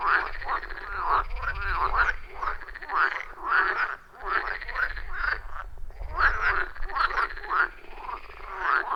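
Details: Wild frogs chorusing around a pond deep in a forest, recorded with an iPhone 14 Pro and Shure MV88+ microphone: a loud, rhythmic chorus of rasping, pulsed croaks rising and falling in bursts about every second, over a low background rumble.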